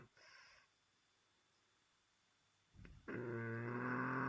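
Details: A French Bulldog snoring: a soft wheezy exhale, a pause, then a loud, rough, rattling snore building at the end.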